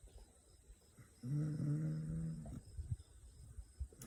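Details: Sleeping fourteen-week-old Kangal puppy indoors among other dogs gives one low, rough, droning snore lasting about a second, then soft snuffling breaths.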